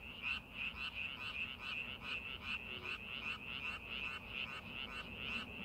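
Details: Rice paddy frogs before the farming season, many callers producing short, bright rattling croaks about two and a half times each second, slightly uneven in timing, with a quiet low murmur underneath.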